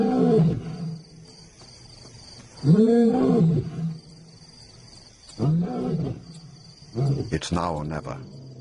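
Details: Lion giving low, arched groaning roars, four bursts spaced a few seconds apart, each swelling and fading, ending with sharp clattering noises over a constant faint high-pitched hum.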